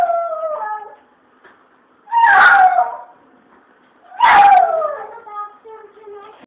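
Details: Chihuahua singing along, two strong rising-then-falling howls separated by softer trailing whines, the notes gliding down in pitch as each fades.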